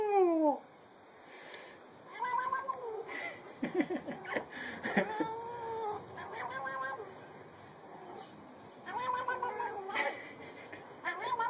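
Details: Cats from a funny compilation, with several drawn-out, wavering meows and yowls rising and falling in pitch, some short and sharp, separated by brief pauses and overlapping at times.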